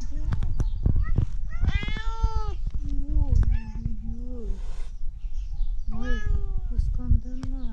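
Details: Tabby cat meowing in a way likened to a duck: a long, drawn-out harmonic meow, then a string of shorter, bending meows in quick succession, over low rumbling handling noise and scattered clicks.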